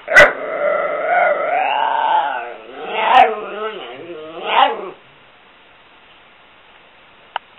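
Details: Pet dog at play time. A short bark opens the clip, then a rising and falling whining 'talk' with a few sharp bark-like accents. It falls quiet after about five seconds, with two faint clicks at the end.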